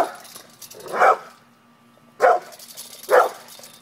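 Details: Pit bull facing off with a cat indoors, giving three sharp loud barks spaced about a second apart over a low steady background hum.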